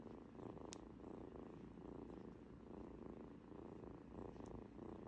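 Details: Pet kitten purring indoors at close range: continuous low vibrating rumble with steady rapid pulses, gently swelling and fading with breathing, one brief click near the start.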